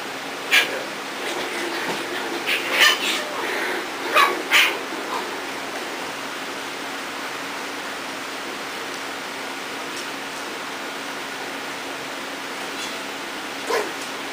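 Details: Playful Corgi puppies from Beth and Kobe's litter, indoors, let out a cluster of sharp, short yips and barks in the first five seconds while a person urges them on. Then comes near quiet with a low hum and one last yip near the end.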